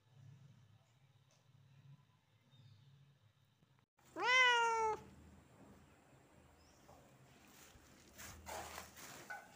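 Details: Kitten giving a single clear meow, under a second long, rising then slightly falling with bright harmonics, in an otherwise quiet room with faint rustling and soft knocks afterward.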